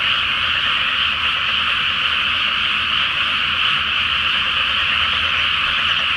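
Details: Frogs in full chorus over a flooded pre-planting rice paddy at night, full flower moon, Japan; overlapping rattling croaks blend into one loud, unwavering high buzz that never drops, faint low rumble below.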